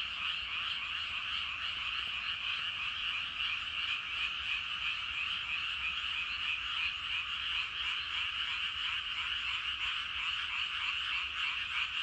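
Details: Evening frog chorus from rice paddies, with a great many frogs croaking at once; a thick, unbroken wall of fast, rattling pulses that holds an even level for the whole stretch.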